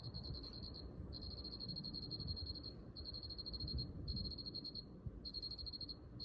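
A cricket trills in steady pulsed bursts of high, buzzy chirping over a low background rumble.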